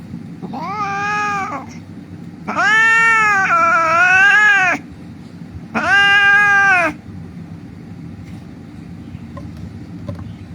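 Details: Street cat, hurt and crying, under treatment after rescue: three loud wailing meows in quick succession, the middle one longest and wavering, followed by several seconds of quiet with faint background hum.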